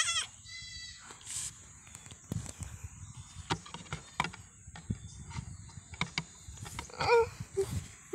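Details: A pesky goat gives a short, wavering bleat rich in overtones at the start, then scattered knocks and clicks follow, with a brief higher call near the end.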